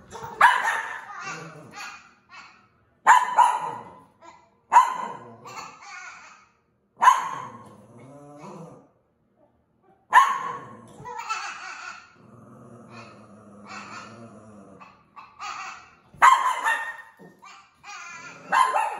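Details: A bottle-fed baby goat raised with six dogs gives sharp, dog-like barks in short bursts while arguing with a Maltese dog, with a person's voice in between.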